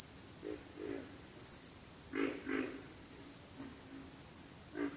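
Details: Deep, piglike grunts from pig frogs come in brief doubled bursts, with the loudest pair near the middle, set against a continuous high, pulsing insect buzz.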